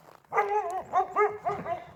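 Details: A working Great Pyrenees livestock guardian dog on a farm gives a run of deep, ringing barks in quick succession at a couple of coyotes, warning off predators and alerting its owner.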